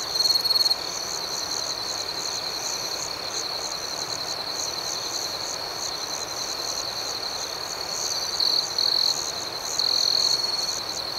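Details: Gentle nocturnal cricket chirping in a calm outdoor setting: steady high-pitched trilling throughout, with louder trill bursts at the very start and again toward the end over a pulsing chorus.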